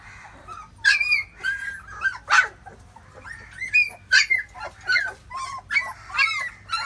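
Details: Labrador Retriever puppies nursing from their mother; high, thin whimpers and squeaky yips come in short uneven bursts, some rising then falling, with brief quiet gaps between.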